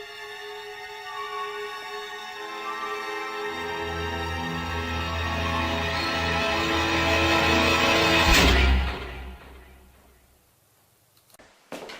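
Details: Dramatic, suspenseful music swells steadily with deep low tones and sustained strings, peaking in a sharp accent before dying away. No animal voice can be picked out beneath the music.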